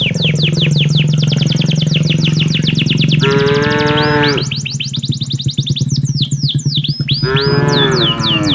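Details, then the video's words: A herder guides tame cattle back to their pen on a late afternoon in a peaceful village. Two sustained harmonic moos stand out near the middle and the end. Rapid bird chirps continue throughout over a constant low droning hum. "suara sapi lembu berjalan menuju ke arah kandangnya"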